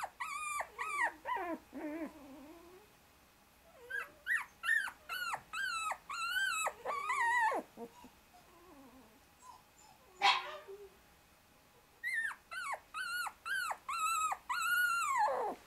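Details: Shiba Inu puppies aged 24 days, the brother trying hard to escape from beneath his two sisters; rapid series of high, rising-falling whining yelps in bursts, a brief rustle midway, indoors.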